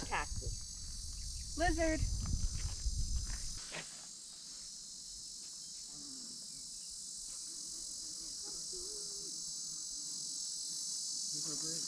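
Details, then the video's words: Insects along a canyon trail in Vogel Canyon near La Junta, Colorado, on a hot, shadeless day: a steady, high, continuous buzzing drone runs throughout, with brief talking and rustling at the start. "but here's the trail that runs on up that way and if you listen you can hear the insects"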